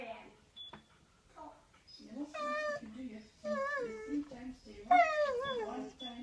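A Siberian Husky gives drawn-out, wavering yowls that bend up and down in pitch like talking.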